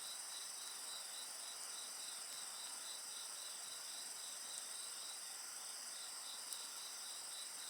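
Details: Crickets and other insects trill steadily in several high bands, one repeating quick pulses near 230 a minute, with faint occasional crackling from an open fire.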